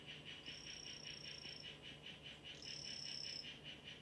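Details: Captive Ranitomeya imitator 'Chazuta' mimic poison frog in a terrarium giving two high, flat buzzing trills of about a second each, separated by a pause, with continuous rhythmic chirping pulses underneath.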